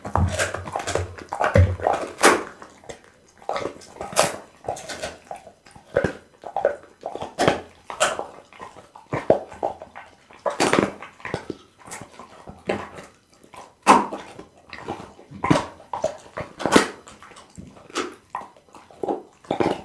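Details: Pit bull named Bounce eating raw food (boiled loach, tuna dark meat, beef kidney, lamb backbone, horse meat), filmed with an Insta360 ONE R; sharp, wet crunching bites come in irregular bursts, several per second, with brief pauses between mouthfuls.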